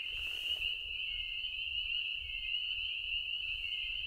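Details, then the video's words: A dense chorus of spring peepers at a May backcountry campsite in Algonquin Park, at dusk under a pink sky, high piping peeps blending into a continuous shrill ring that went on all night. "listening to the spring peepers can you hear them"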